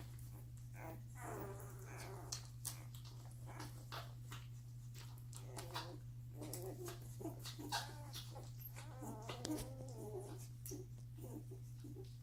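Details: One-week-old Doberman puppies feeding and sleeping, siblings jostling for the best spot; soft squeaky whimpers and grunts recur amid clicking suckling noises over a steady low hum.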